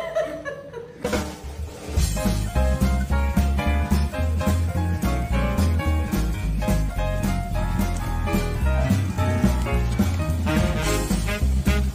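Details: Upbeat swing-style music with steady beats and brief laughter fills the whole stretch; no animal voice is heard.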